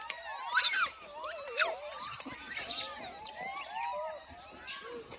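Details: Hungry monkeys giving overlapping squealing calls, each a smooth arched whistle that rises and falls, several per second and some shrill, with a faint outdoor background.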